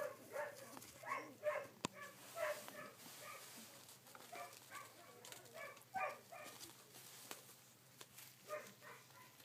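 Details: Collie puppies, sixteen days old, filmed on 3 June 2013, give a steady stream of short, high, squeaky whimpers and yelps that overlap and repeat several times a second, with one sharp click and faint background hum.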